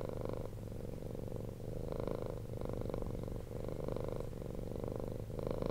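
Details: A rescued cat purring at night, a soft low buzzing drone with gentle swells on each breath, quieter than usual, in a calm indoor setting.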